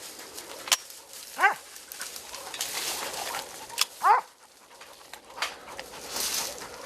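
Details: Hunting dog called out after a wild boar was caught in the hills of Gyeongsan, North Gyeongsang, South Korea, during a boar-capture hunt: two short, sharply descending yelps about two and a half seconds apart, among rustling and handling noise.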